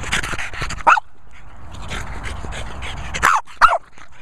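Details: French Bulldog giving short sharp barks near one second and again around 3.3 and 3.6 seconds, with snuffling and panting noises in between and faint background hiss.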